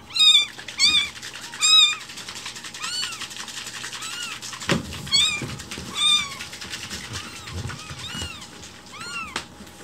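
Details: Rescued newborn kitten loudly meowing for its morning milk, hungry and demanding food while it is being prepared; high arched meows in quick succession, several overlapping, with soft handling noises and a faint hum indoors.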